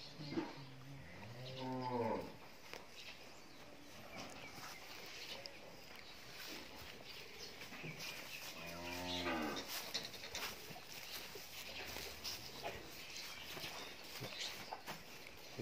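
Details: Nine-month-old Friesian heifer calf on a dairy farm in Pabna, Bangladesh, lowing twice: long, deep, harmonic moos near the start and at nine seconds, with a soft third low call later and steady background hiss.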